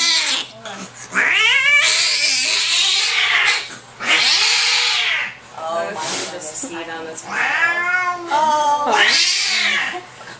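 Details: Angry domestic cat in a small carrier at the vet's office during vaccination, ears flattened; long loud wavering yowls and caterwauls with rising and falling harmonics, several drawn-out howls over ten seconds, with brief human voices.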